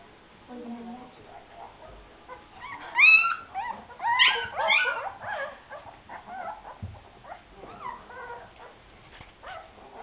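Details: Afghan Hound puppies at the Szitár al Fidda kennel let out a cluster of loud squeaky whimpers and yips mid-clip, with faint murmuring and softer whines around them.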